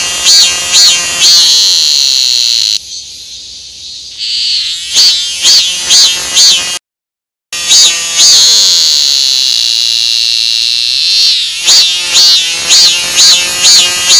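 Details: Cicada calling: shrill buzzing pulses repeated about twice per second, broken by a quieter steady drone and a brief silent gap midway.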